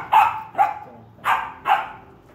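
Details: Rottweiler barking because it wants a toy: four short, sharp barks about half a second apart, the last two louder and closer together, in a quiet setting.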